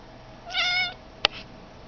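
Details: Pet cat Blue Boy making his weird sound: a short, high, bright meow-like note lasting under half a second, then a single sharp click.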